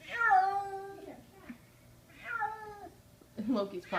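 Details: Kitten wailing in horror indoors after being carried upstairs, summer 2014: long tonal cries falling slightly in pitch, repeated about every two seconds, followed by a harsher burst of noise.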